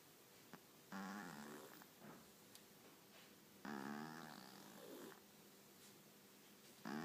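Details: Sleeping cat snoring indoors: two long, rasping, buzzy breaths about three seconds apart, each over a second long, with a third starting at the end. Near silence between the snores.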